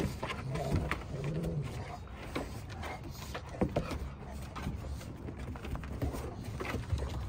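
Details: Rottweilers growl low and rumbling in bursts while play-fighting with their mother during fight lessons, with scuffling thumps between.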